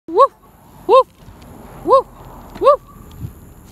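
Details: A dog barking outdoors: four short, arched, clear barks, evenly spaced about three quarters of a second apart, with a quiet background.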